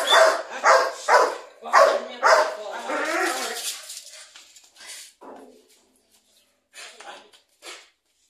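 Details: Belgian Malinois puppy of eight months being tested for attack drive as a future guard dog; four or five strong barks in the first three seconds, then the sound trails off into quiet, faint short noises.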